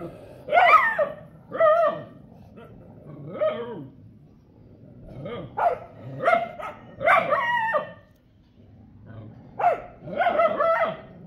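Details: Street dogs barking and fighting in a street area, repeated harsh barks and snarling yelps in bursts roughly every second, with short quieter gaps between volleys.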